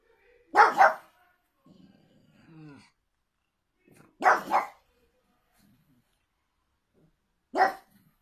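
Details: Pug giving three sharp barks spaced a few seconds apart, the first two doubled and the last single, with faint low rustling and a soft murmur between them.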